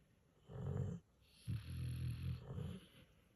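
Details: A Pit Bull puppy and a senior Mastiff/Pit mix asleep and snoring: a short low rumble, then a longer rattling snore trailing into a softer one, in a quiet room.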